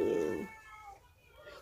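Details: Domestic cat making a loud, demanding meow while pestering for treats, a short strained cry at the start that fades quickly, followed by near quiet with faint household background and a person's voice nearby.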